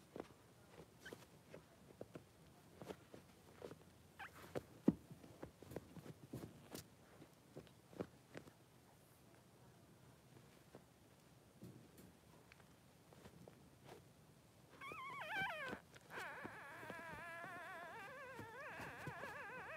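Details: Three-day-old newborn Blenheim Cavalier King Charles Spaniel puppies, two boys in a puppy pen with their mother Pom-Pom. Scattered tapping and shuffling come first, then wavering, high whiny puppy cries rise and fall through the last few seconds.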